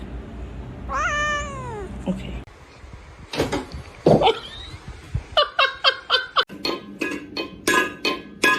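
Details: Domestic cat giving one drawn-out meow that rises and then falls, followed by a rapid series of sharp taps and clicks and some rustling indoors.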